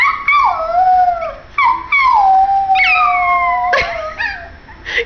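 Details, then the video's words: Spooky, a little white Pomeranian male, howls along with his human companion: long wavering tonal howls sliding downward, several drawn-out notes in a row with brief breaks, ending in a short yip. "White Pomeranian howling with family"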